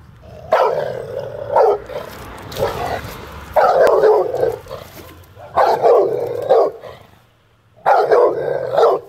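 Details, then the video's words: American Staffordshire Terrier in an attack, giving loud, harsh barks in bursts of about a second, grouped in rough clusters with short pauses between them. "American staffordshire terrier atack"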